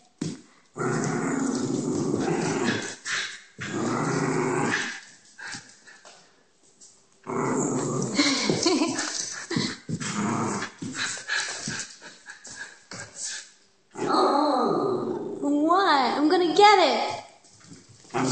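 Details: Schnauzer growling while playing a game of chase indoors, holding an empty peanut butter jar in her mouth; long sustained rough growls in bursts of several seconds, with a person talking and moving around nearby.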